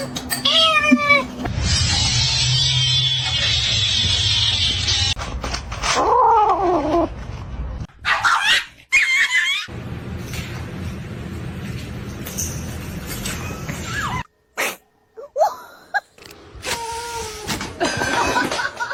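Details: Domestic cat meowing in short bursts, the drawn-out calls broken by abrupt cuts, with loud hissing noise and scraps of other sound between them.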